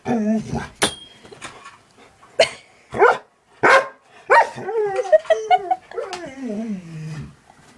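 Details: Indoor pet dog reacting to cat videos: a run of short sharp barks roughly every second, then a drawn-out wavering whine that slides downward, with a person talking nearby.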